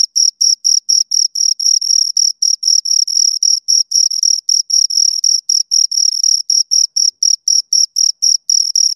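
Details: Pair of crickets stridulating near the recorder: bright, high, ringing chirps in rapid even pulses, roughly four each second, with occasional short pauses and nothing else audible.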